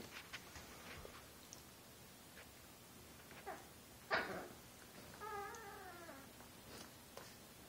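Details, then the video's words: Chihuahua just over a year old, pouncing and playing under a bed as a hand moves beneath it; quiet room with soft rustling, then a drawn-out, wavering, talking-like whine that slides downward, plus scattered thumps and a sharp knock. "Chihuahua Josie talking and playing"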